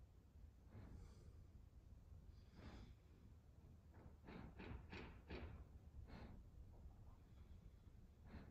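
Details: Evo, a German Shepherd, settling down to sleep: soft breathy snorts and sighs, a few spaced puffs early on, then a quick cluster of short nasal bursts in the middle, against quiet indoor room tone.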